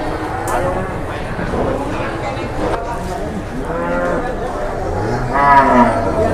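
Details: Jumbo cattle at the morning Jelok cattle market in Boyolali, Indonesia, as newly arrived animals are approached; several drawn-out, wavering moos overlap with market chatter and a busy background of voices.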